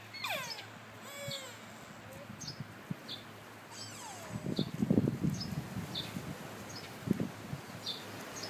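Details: Sika deer at Kuragaike Park in Toyota, Aichi, Japan, filmed on an iPhone 4S: thin whistled cries sweeping downward early on and again near four seconds, amid low thumps and rustling.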